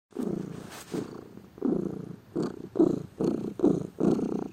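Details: A lazy pet cat purring indoors, a low rumbling purr in about eight uneven bursts, some short and clipped, others longer, with brief quiet gaps between breaths.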